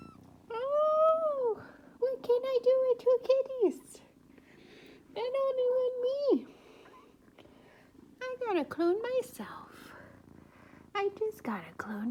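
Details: Two attention-demanding kittens on a cat tree meow loudly and insistently: drawn-out level meows that drop at the end, a rapid stuttering run of short meows, then rising and falling cries, while a person talks to them.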